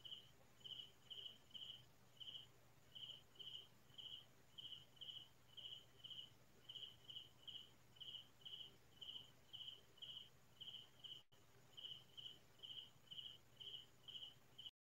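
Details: A cricket chirps at night in quiet rural farm fields, giving short, high, pulsed bursts at a steady rate of roughly two every second.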